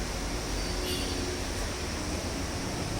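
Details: Steady broadband hiss and low hum, with faint speech and vehicle rumble in the background; no animal sound stands out.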